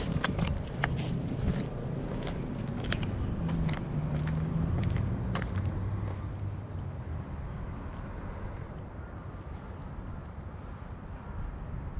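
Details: Low outdoor rumble like passing traffic, with scattered soft clicks and taps, and no clear animal voice.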